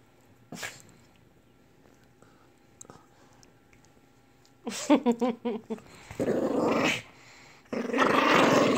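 A Lhasa Apso breaks a quiet spell with a burst of short, throaty growls and snappy barks in quick succession. Rougher, noisier snarling bursts follow near the end.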